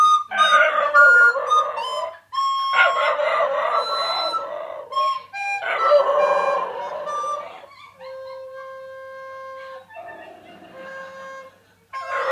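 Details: A two-year-old brindle male Cairn Terrier howls in wavering, rising bursts, singing along as a recorder plays steady notes beside him.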